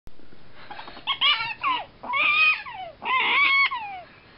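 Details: One happy prairie dog giving loud, shrill harmonic yips, each sliding upward then falling away, four calls in quick succession against a quiet background.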